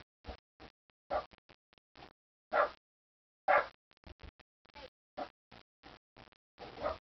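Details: Buddy, a pet dog angry about something, barks in short harsh bursts, some single and some in quick pairs, with uneven gaps across the recording and no other clear sounds.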